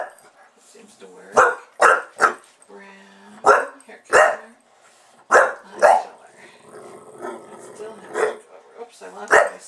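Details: Buster, a pet bulldog, reacting to being filmed indoors with bursts of loud, harsh barks in pairs and triplets, interspersed with whiny growling murmurs and a human voice in the gaps.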